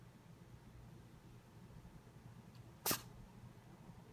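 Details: Theo the kitten, calm during a massage, lets out one quick sharp sneeze about three seconds in, a brief broadband burst against a quiet indoor background with soft low hum.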